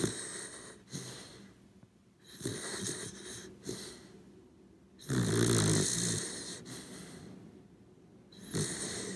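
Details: Pet Corgi Cooper snoring in deep sleep: a steady sequence of loud, grating inhalations and wheezes, one long heavy snore in the middle, rhythmic and close, in a quiet room.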